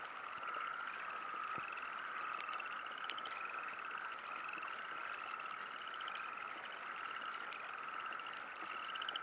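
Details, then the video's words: Frogs croaking at a river campsite during a light rain sprinkle: a steady, continuous high trilling chorus with repeated rising notes, over soft patter of rain drops. "Frogs Croaking"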